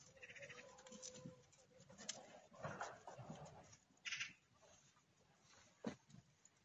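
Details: Kangal puppies wrestling and playing together in a village: a steady, drawn-out whine held for over a second, followed by scuffling bursts and a few sharp yelps, with a brief spoken remark at the end.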